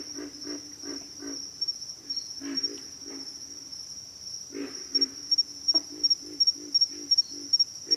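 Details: Pig frogs grunting: a run of evenly spaced low grunts at the start, a quieter middle stretch, then another steady series of grunts, all beneath a constant high insect buzz.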